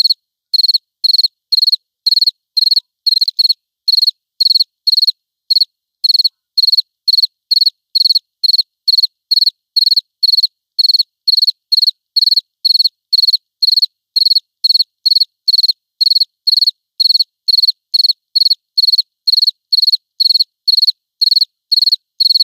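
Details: Lone cricket recorded clean, no ambience: a steady run of bright, high-pitched pulsed chirps, roughly two per second, regular and unbroken across the whole stretch, with total silence between them.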